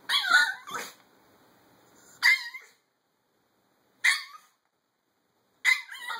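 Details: Chihuahua letting out single shrill, slightly rasping barks, each one isolated by a pause of one to two seconds, with a quick double yap at the start.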